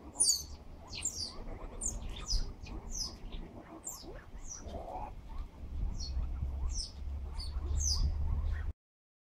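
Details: Baby banded mongooses exploring their surroundings in Westville, KwaZulu-Natal, on 18 October 2016 give thin, very high chirps and squeaks in irregular bursts over a low rumble.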